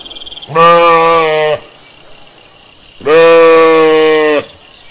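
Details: Pasture sheep calling out in nature: two long, steady bleats of over a second each, rich and harmonic, separated by a short quiet pause.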